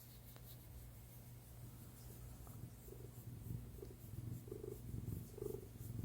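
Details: Cat purring while resting on its owner's lap indoors: a steady low rumble with soft rhythmic swells that grow louder and more regular toward the end.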